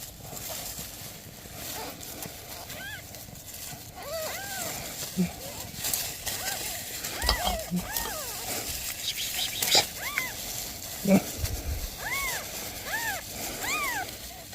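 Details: Newborn kittens meowing beside a mother cat asking for help: repeated thin, arching mews that rise then fall, coming in clusters every second or so over a steady hiss of outdoor background noise with occasional knocks.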